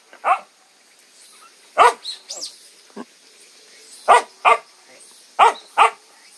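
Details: Young puppies newly started on weaning food of water-soaked kibble give short, sharp yappy barks, often in quick pairs, about nine across six seconds, with a person talking and a steady insect chorus behind.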